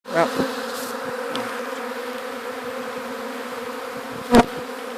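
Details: Swarm of gentle honey bees being caught, some landing on a hat before going into an alternative hive: a dense, continuous droning hum throughout, with a brief louder knock near the end.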